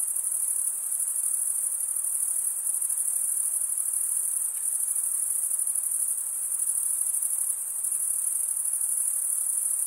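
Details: Summer night in a forest, crickets in chorus: one continuous piercing high-pitched ring with a slight pulsing shimmer, steady loudness, a faint low wash of background noise beneath.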